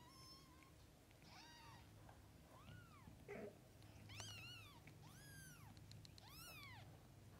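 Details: Domestic cats, a mother with kittens: a run of high thin kitten-like meows, arched and rising-falling, coming in quick succession, with a brief rustle partway through and low background hum.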